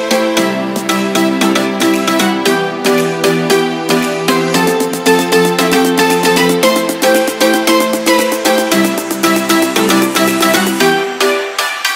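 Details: Electronic dance music with a steady beat and layered synth chords throughout, with no distinct animal voice standing out.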